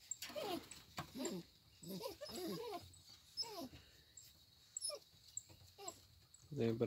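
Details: American Bulldog puppies held at a kennel, kept in reserve and not for sale: a run of high, wavering whines and yelps rising and falling in pitch, in short bursts with pauses, as a man talks in Portuguese.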